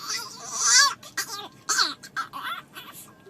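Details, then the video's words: Dog making funny, weird talking noises: a run of high, wavering whines and yelps that rise and fall in pitch, several short bursts over three seconds, loudest early, with a quiet indoor background. "Funny Dogs' Noises! Dogs can say "I love you"!"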